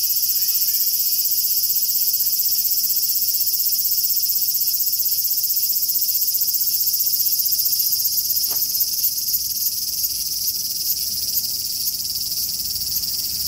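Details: Large brown cicada, a summer insect, giving a continuous sizzling, high-pitched buzz that holds steady without breaks throughout, with a single faint click partway through.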